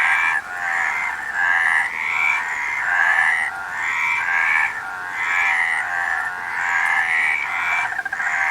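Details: Frogs in full chorus, a steady rasping trill of many overlapping croaks that pulses in loose waves every second or so.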